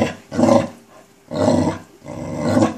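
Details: A Chow Chow growls at a black ball with three harsh, throaty growls, each about half a second long and spaced roughly one second apart, low and rumbling with a gritty texture.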